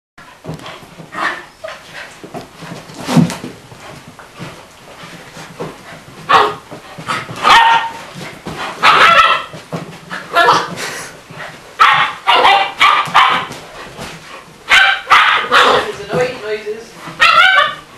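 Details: Springer Spaniel puppy named Splodge playing with a Borzoi named Aramis; scattered sharp barks and yips in irregular bursts, several close together near the middle and end, with scuffling between them.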